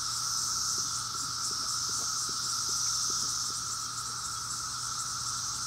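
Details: Cicadas in Maryland in 2021 fill the air with a dense chorus: a steady, high, shimmering drone.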